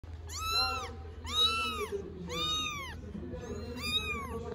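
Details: Three stray kittens, four weeks old, in Istanbul, meowing together: four loud, arched, harmonic-rich meows, each rising then falling, about one per second, with a low steady hum underneath.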